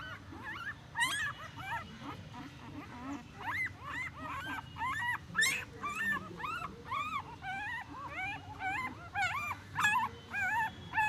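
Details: Newborn puppies giving a continuous stream of thin, high squeaky whimpers and yips, many short rising-falling cries overlapping, about two per second, with soft rustling of movement underneath.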